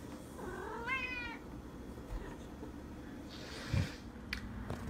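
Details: Female cat asked if she is hungry gives a short, slightly rising meow near the start, then quiet room noise with a brief rustle and thump, Spanish speech nearby.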